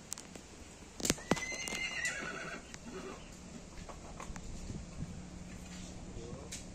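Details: A farm horse gives a brief, high whinny amid sharp knocking sounds and a low background hum.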